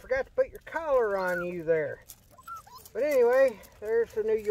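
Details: Miniature Pinscher puppies, 11 weeks old, outdoors among leftover snow on a mild 50-degree day, 21 February 2021; long wavering harmonic whines and yelps come in bursts that rise and fall, separated by short quiet gaps.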